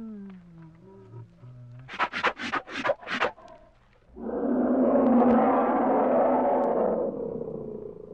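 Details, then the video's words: A bear gives a deep, rasping roar held for about three seconds and then trails off. Before it come steady musical tones and a run of five rhythmic pulsing bursts. "The sound of a bear, roar"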